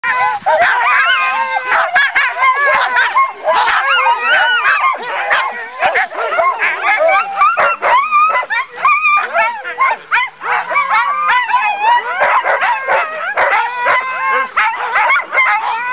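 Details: At Haliburton Forest & Wild Life Reserve in Ontario, Canada, a pack of Siberian husky sled dogs yowls, yips and howls together, eager to run.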